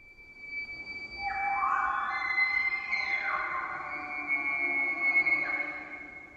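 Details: In the autumn rut, in a Sitka spruce valley on the Olympic Peninsula, a bull elk bugles with a high, sustained, whistle-like tone. He is trying to lure cows away from a rival bull's harem, and females call back.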